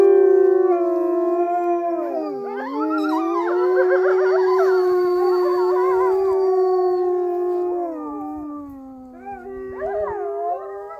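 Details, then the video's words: At Polar Park, a gray wolf close to a person gives a long, steady howl that wavers and dips before trailing off, with other wolves howling. "Just another wolf howling 😍❤"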